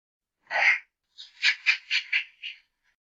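A chimpanzee gives one harsh, breathy cry, then a quick run of five rasping hoots.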